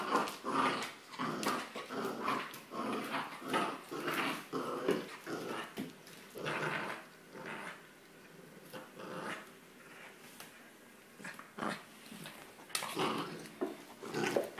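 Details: A corgi playing with a rope toy indoors makes gruff, uneven growling bursts and snorts, some short and huffing, others drawn out, in no steady rhythm; a person's voice briefly calls out commands.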